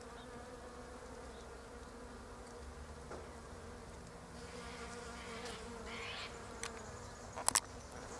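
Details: Bees visiting pink Japanese quince blossoms, darting between flowers; an even droning hum that swells a little in the second half, with a few brief clicks and taps toward the end.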